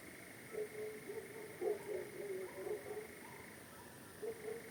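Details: At night on a farm, a frog chorus gives low, short croaks overlapping several times a second over a steady high insect drone, with a nightjar and barking dogs possibly audible in the background.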